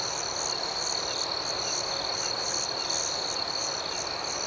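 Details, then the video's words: Crickets at night in a calm outdoor setting: a steady high-pitched trill runs throughout, while a higher layer of soft chirps pulses rapidly over it. No other sounds stand out. "Soothing Cricket Sounds"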